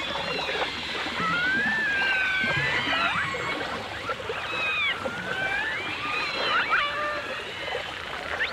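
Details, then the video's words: Dolphins and orcas in a 1989 full dimensional stereo recording trade long arching whistles that climb and fall slowly, joined by quick rising sweeps near the end, all over a busy crackling wash of clicks. "The Enchanting Sounds Of Dolphin Song (Dolphins & Orcas)"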